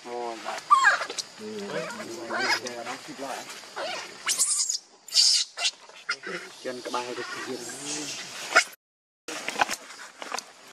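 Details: Hungry newborn monkey Leo cries to his mother for milk: wavering, harmonic whines and moaning wails alternate with sharp high squeals, irregularly spaced, broken by brief silent cuts.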